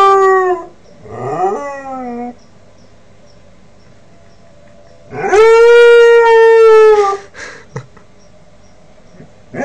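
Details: Young Northern Inuit dog Kodiak, 5 months old and learning to howl, starts with short yelping rising cries, then after a pause lets out a long, full, steady howl that fades into a brief yip.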